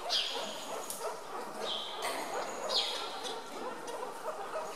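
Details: Hungry meerkats at a zoo in Augsburg, Germany, snatching food from one another while being fed chicks: a few thin, high, downward-sliding squeaks stand out over a wash of crowd chatter and noise.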